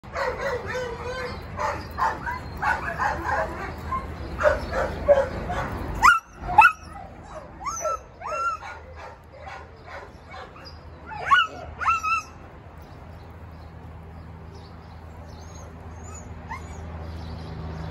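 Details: Dogs at an animal shelter, a senior Labrador Retriever and a young male Siberian Husky Samoyed among them; rapid bursts of yelping barks and high whines over the first twelve seconds, then quieter, with steady background hum.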